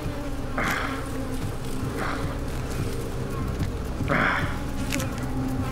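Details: Honey bees at a wild hive, disturbed by smoke as a man approaches the comb for honey, give a steady, droning hum that swells as the colony grows agitated and defensive.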